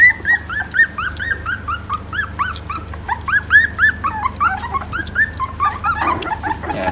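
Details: Phu Quoc Ridgeback puppies in a litter in Vietnam, jostling while nursing at feeding time. Dense, overlapping high squeaky whimpers, each a short rising-then-falling arc, come several per second without pause. A low steady hum runs underneath.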